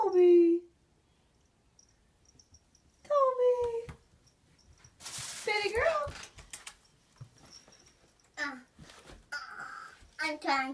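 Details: Pet cats meowing in a home kitchen, begging for food while people stand nearby; drawn-out, tonal meows with falling then rising pitch, separated by pauses, mixed with a woman's talking voice.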